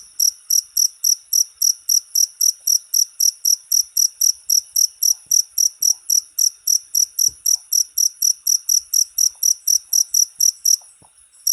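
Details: Cricket chirping for cage-bird song training: a long, even run of high, rasping pulses at roughly four per second, continuing steadily before breaking off briefly at the end; no other animals audible.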